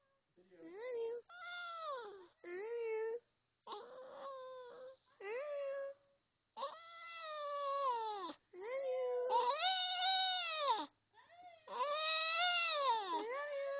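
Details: Maltese dog "singing" I love you: a series of long, wavering, rising-and-falling howls with rich harmonics, separated by short silences, becoming louder and more drawn out toward the end.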